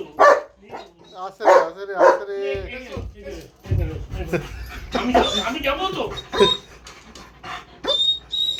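A German Shepherd gives a few loud, tonal barks and whines while a person talks nearby.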